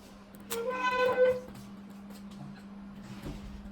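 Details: Shih Tzu named Coffee, a puppy, at the vet for a vaccination, gives one high, steady, tonal whining cry lasting about a second, then falls silent; a low steady hum fills the small indoor room.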